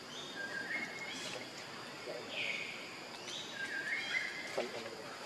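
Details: Baby monkey Leo, hungry and begging its mother for milk, gives thin high-pitched wavering cries: several drawn-out squeals that rise and fall, spaced through the clip over a steady background hiss.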